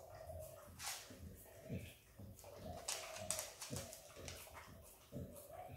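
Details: A Kelpie x Border Collie puppy, Izzy, eating peanut butter indoors. Fast, wet lapping clicks come in short bursts, roughly two or three licks per second, with soft chewing between.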